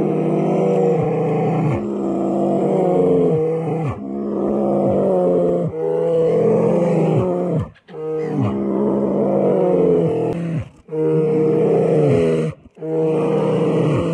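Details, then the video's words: Fighting bears give long, repeated roaring groans, each lasting about two seconds, pausing briefly between bursts, with a steady low hum in the background. "5 minutes worth watching the bear fight fiercely,Mother bear protects her cubs"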